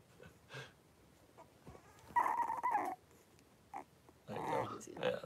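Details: Blenheim Cavalier King Charles Spaniel puppies, three weeks old, wrestling in their pen: soft scattered sounds, then two rough, noisy grumbling bursts with whiny overtones.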